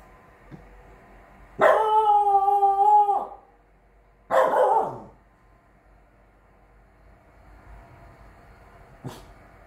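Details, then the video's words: Three-month-old Chow Chow x French Bulldog puppy Frow Frow (Bear), born 12/08/21, playing guard dog. A drawn-out, tonal howling bark lasting over a second, then a shorter rough bark, with a light tap late on. "FROW FROW (BEAR) chow chow x french bulldog born 12/08/21 playing guard dog at 3 month old.."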